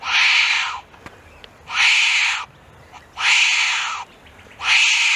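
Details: Wombat giving harsh, hissing rasps, each burst close to a second long, repeated at a steady pace of roughly forty per minute with short quiet gaps between them.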